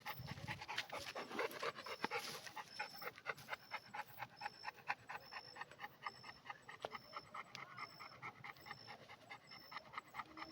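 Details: Red Pit Bull dog panting rapidly, about two breaths a second in an irregular rhythm, with a faint repeated high electronic tone in the background.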